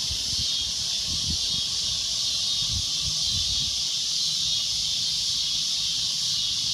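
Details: Cicada droning loudly and shrilly, a steady unbroken high hiss, with some low thumping handling or background noise beneath it.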